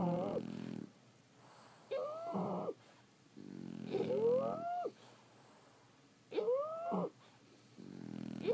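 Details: Several French Bulldogs snoring in their sleep. Low, rattling breaths alternate with squeaky, rising nasal whistles, about five breaths spaced a second or so apart.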